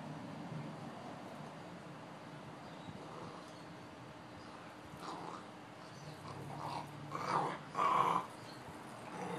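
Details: Two Boxer dogs at play. Low background rumble gives way near the end to a couple of short, rough growling vocalisations, the loudest burst coming just before the close.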